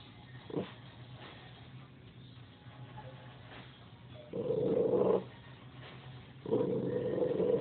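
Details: Dog named Cha Che sounding off at nothing indoors: a brief yelp early on, then two raspy, drawn-out growling barks near the end, each about a second long, over steady low background noise.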